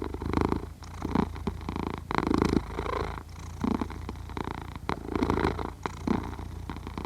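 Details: Cat sleeping while purring and snoring, Zoom H6 microphone: a low throaty rumble with rhythmic louder bursts on each breath, roughly once a second, separated by brief softer lulls.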